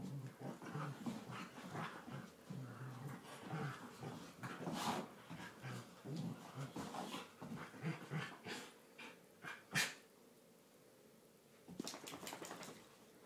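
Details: Two Border Collies, a tri colour and a blue merle, in one of their daily play fights in a lounge, trading low growls, pants and huffs amid scuffling and thumps, quieter toward the end.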